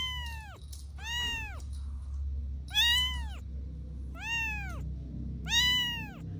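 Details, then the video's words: Playful kittens on grass outdoors giving five clear, high, arching meows, each rising then falling, spaced roughly a second apart, over a steady low rumble in the background. "Playful Kittens on the Grass – Soft Meows"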